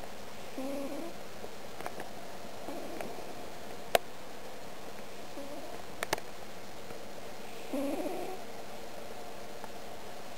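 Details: Huckle Rhodes, a pet cat, snoring while asleep indoors as he is poked: soft, breathy low rasps repeat about every two to three seconds, with a few faint clicks between them in a quiet room.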